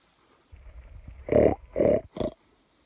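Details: Wild boar encountered unexpectedly at dawn, 4:54 am on 26 July 2021, in meadows below the mountain at Pobergje, Deçan; a low rumble builds into three rough, roaring grunts, the last shortest.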